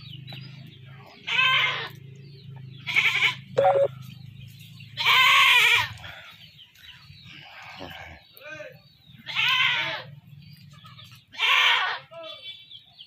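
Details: A goat that was caught and then slaughtered calls repeatedly. Six harsh, quavering bleats come at uneven intervals over thirteen seconds, with a low hum in the early part and brief clicks between cries.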